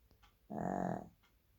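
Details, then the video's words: Shih Tzu letting out one short, buzzy, vibrating snore of about half a second, surrounded by faint soft clicks in a quiet indoor space. "Shih tzu snoring"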